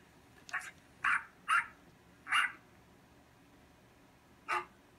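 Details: Dog barking next door, heard from a distance indoors: five short, muffled barks, one isolated and a quick group of four, then a lone bark after a pause, over quiet room hum.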